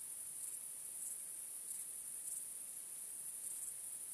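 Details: On a starry night, crickets keep up a thin, high, steady trill, broken by about five louder chirp bursts, strong and weaker ones alternating at irregular gaps.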